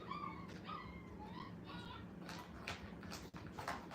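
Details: Dog puppies, five weeks old, placed in a playpen for the first time at a kennel; a few wavering, arched whimpers early on, then scattered clicks and shuffling noises against a constant low background hum.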